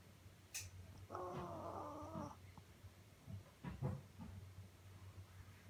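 A sleeping Shih Tzu snores with a long, nasal, whistling squeak and a few soft snorts.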